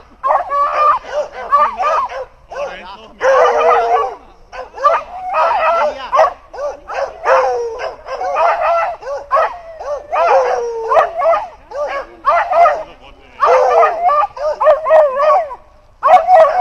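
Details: Beagles near wild hogs, with tied-up beagles howling in the background; dense bursts of rapid yelping barks and bays in repeated clusters, overlapping voices, with brief gaps between bouts.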